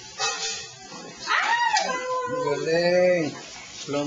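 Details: Two-month-old poodle puppy giving a short high yelp that slides downward, followed by a longer, steady, howl-like whining cry that drops away at the end, with a human voice nearby.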